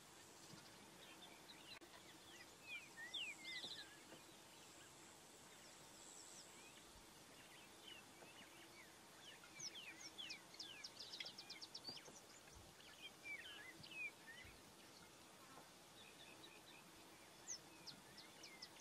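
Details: African wild dogs, an endangered species, in Kruger National Park chirp and twitter in high, bird-like squeaks, several voices overlapping.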